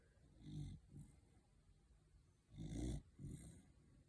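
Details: Sleeping corgi snoring: low rumbling snores in rhythmic bursts, two stronger rattling breaths about two seconds apart, each followed by a softer one, in a quiet room.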